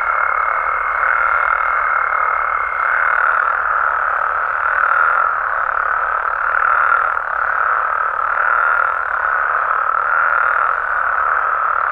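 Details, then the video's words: Wild Mexican frogs and toads at night, many voices blending into a constant buzzing, croaking chorus with slow rhythmic swells. A thin sustained tone hovers above it during the opening three seconds. "Mexican Frogs & Toads Sounds"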